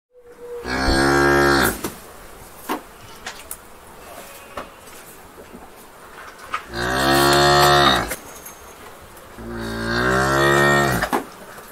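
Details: A cow gives three long, deep moos, each rich and wavering, with quiet gaps between.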